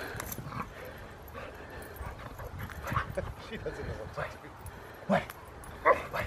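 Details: Female Rottweiler learning protection work at her second club training session, letting out two short, forceful barks near the end after a stretch of quieter sounds, while a handler talks and praises her.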